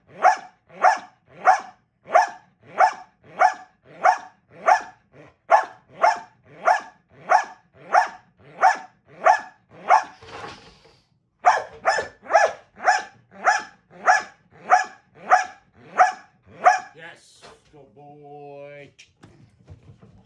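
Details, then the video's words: Steady barking from Gamble, a male dog, in box work training: long run of regular barks about every 0.6 seconds, a brief pause, another burst of barking, then a short tonal squeaky whine near the end. "Gamble Box Work Barking"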